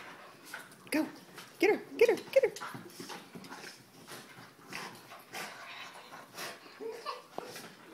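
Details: Soft Coated Wheaten Terriers Abbey and Zoey during rough play: a run of three or four rising-falling whiny yelps near the start, then softer muttering sounds mixed with a person's encouraging voice.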